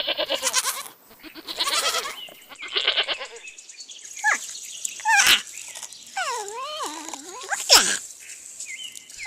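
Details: Mountain goat bleating: a run of harsh, buzzy bleats in the first three seconds, then squeaky rising and falling calls with sharp clicks, set against background music.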